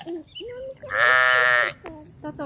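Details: Sheep gives one sustained, wavering bleat of nearly a second, loud and nasal, with people talking in Polish just before and after it.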